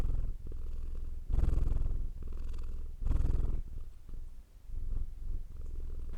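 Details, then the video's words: Purring cat with two strong, loud rumbling surges near the start, then a softer, quieter and more uneven purr with brief dips, all a low vibrating drone. "Purring Cat sound for Relaxation"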